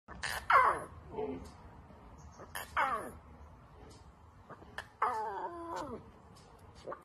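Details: Lion. A young lion lets out three short, strained calls that start high and slide down in pitch, more mewing wail than full roar. Each lasts under a second, with quiet pauses and faint background noise between them.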